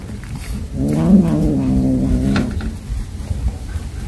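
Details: Mother cat calling her kittens, having caught a mouse to feed them: a low, harmonic, slightly wavering call of nearly two seconds, with faint background rumble.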